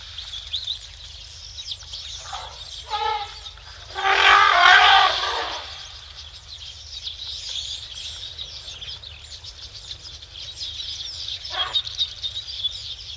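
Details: Excited elephants on a live camera at Tembe Elephant Park, 12:45 PM SAST, 3 October 2025: short rasping notes, then one loud, grating trumpet of about a second and a half, with a later brief burst amid constant birdsong.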